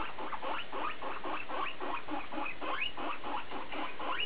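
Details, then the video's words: Domestic guinea pig, mostly BooBoo, talking in quick overlapping rising squeals that sweep sharply upward, about three per second over a dense low rumble. "Cavia porcellus tête à tête"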